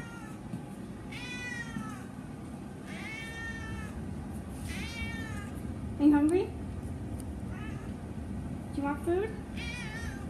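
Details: Big hungry domestic cat meowing: three drawn-out, falling meows in the first five seconds, followed by a person speaking with short squeaky calls, over steady background noise.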